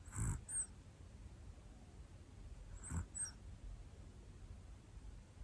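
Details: Black Pomeranian Hana, a year-old female, breathes noisily in sleep: two low, husky snore-puffs three seconds apart, each ending in a soft nasal snuffle against steady background hiss.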